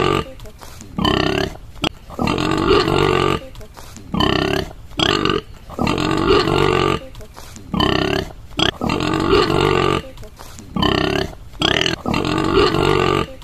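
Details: A white boar on a rural farm gives deep, rough grunts and throaty calls in irregular bursts with short pauses between.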